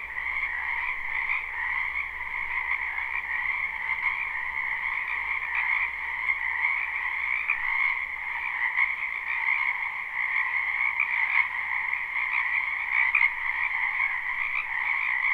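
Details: Spring wetland frogs in full chorus, recorded live with no looping: countless overlapping trills merge into a constant shimmering wall of sound, high and mid-pitched layers holding steady throughout, with only slight swells in loudness.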